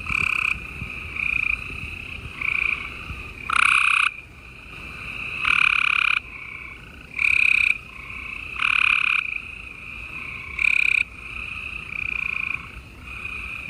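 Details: Spring night in Houston, Texas, 28 April 2020, with many gray treefrogs calling together: overlapping buzzy trills, the nearest ones loud and abrupt, repeating irregularly every second or two without pause.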